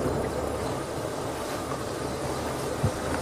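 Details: A steady low engine rumble fills the recording, with a brief knock near the end. No animal voice can be picked out.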